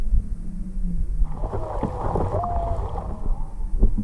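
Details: Juvenile humpback whale with its mother off Maui, February 17, 2020, nearing a boat whose motor is off. A low droning tone, then a short rising whistle-like call, partly buried under a broad burst of rushing water noise.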